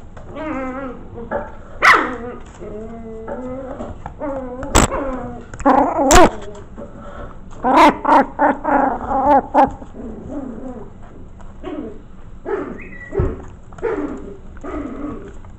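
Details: Maltese mix pups at five weeks old, a litter of five named Fern, Turbo, Milo, Calvin and Poppy, yap and whine in a rapid, near-continuous string of squeaky barks, with sharp knocks and thumps against their corral.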